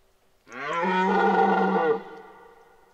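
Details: Red deer stag bellowing during the 2023 rut at Parc naturel de Boutissaint: one deep, hoarse, roaring bellow held for about a second and a half, rich in harmonics, then cut off abruptly into quiet.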